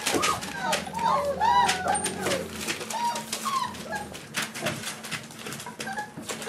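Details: Four-week-old Boerboel pups with their mother Aston, indoors, already teething and playing with the other dogs: high, wavering whines that slide up and down, several overlapping in quick succession, over rustling, clicking movement and a person's voice.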